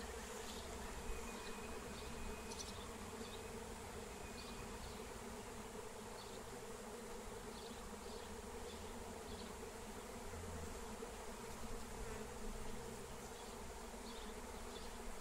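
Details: Catching a wild honeybee swarm in flight with lemon balm: a long unbroken buzzing hum from many bees, low and dense, with faint short high ticks and a thin whistle-like tone drifting over it early on.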